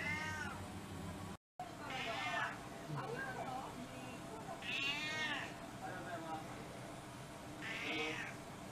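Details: Domestic cats in a multi-cat household, fed a special dinner menu on Cat Day, February 2023; several harmonic meows rising then falling, spaced about three seconds apart, over low background noise and faint voices.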